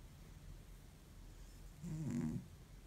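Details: Exhausted cat in deep sleep snoring like an old man: a single low, rasping snore lasting about half a second near the end, over a steady low hum.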